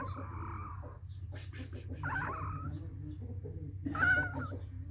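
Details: Kittens meowing in a compilation: three soft, thin mewing calls spaced about two seconds apart, the last one the loudest, over a constant low background hum.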